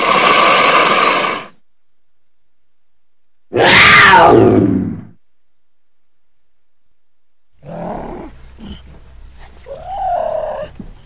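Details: Cougar sounds: a loud breathy hiss, then a harsh falling scream, then a stretch of scattered grunts and clicks ending in a short tonal whine.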